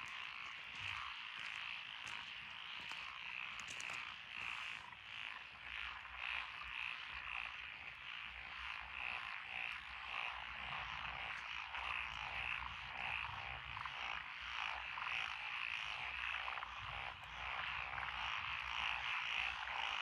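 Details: Frogs calling from lotus rice paddies along a country road in Echizen, Fukui, Japan, recorded 12 June 2021. Japanese tree frogs, Tonosama frogs, wrinkled frogs, Schlegel's green tree frogs and forest green tree frogs are named. A dense, steady chorus of rapid, pulsing croaks overlaps continuously.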